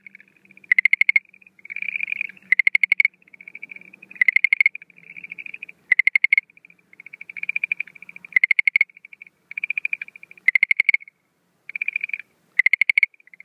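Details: Schlegel's green tree frog calling at night, breeding season, 17 April 2013: short loud bursts of rapid clicks alternate with softer, buzzier pulsed trills, steadily repeated with brief pauses.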